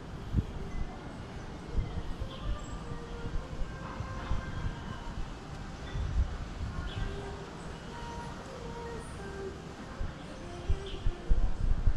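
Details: A deep rumble of passing vehicles or a train dominates, with faint speech and scattered tonal hints above; no animal voices heard.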